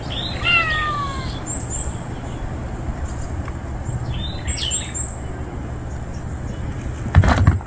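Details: Male stray cat, a stranger newly turned up, utters a clear descending meow with stacked harmonics, followed by faint high chirps of small birds, steady low rumble, and a burst of rustling noise at the end.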